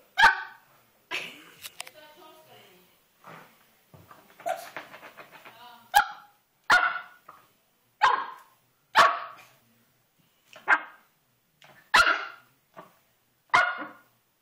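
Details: Five-month-old Pomeranian puppy going wild and attacking a carpet indoors, giving sharp high yapping barks, first scattered then repeated roughly every second in the second half, with a person talking at the start.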